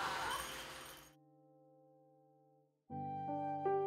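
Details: Chiming music notes fade into near silence, then sustained bell-like tones and plucked notes return.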